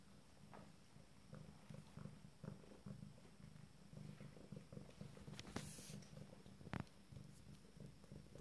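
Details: Abyssinian kittens from a first litter exploring in the morning at 27 days old; a steady low rumbling purr throbs through the clip, with soft clicks and a few brief rustling bursts.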